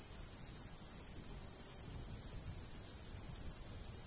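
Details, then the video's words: Crickets calling in summer countryside near a golden wheat field. Bright high chirps come unevenly, around two per second, some doubled, over a steady shrill background drone and faint low breeze noise. "Countryside/cricket sounds"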